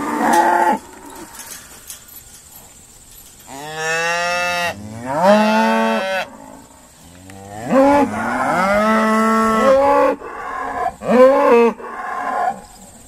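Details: On a noisy sorting day at Stone Meadow Farm, Irish Dexter cattle bellow in bursts: a short moo, then long harmonic-rich calls rising and wavering, with brief gaps between.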